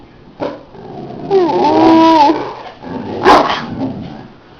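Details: Pet dog vocalizing indoors on command after being asked to speak and praised for it. A short yelp comes first, then a drawn-out, wavering tonal whine-howl of about a second, and a sharper vocal burst follows, with the owner talking around it.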